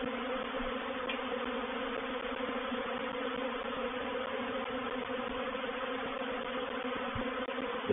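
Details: Thousands of honey bees in a reproductive swarm settle into a swarm trap at Painted Peacock Manor, 04/07/21. An even, resonant hum holds steady, with a sudden bump at the very end.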